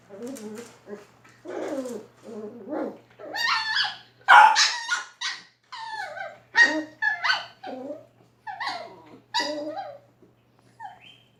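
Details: Shiba Inu and Beagle dogs during playtime give a long series of short yappy barks and whiny yelps in uneven bursts, some high and squeaky, some lower and rougher, with brief quiet gaps between.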